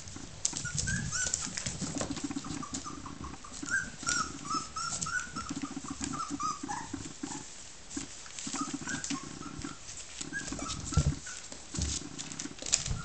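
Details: Three 21-day-old Border Collie puppies, Escudo, Earl Grey and Eternity, from the E litter, play-fighting indoors: soft low grumbling growls pulse beneath repeated high squeaky whines and yelps, with scuffling and patter throughout.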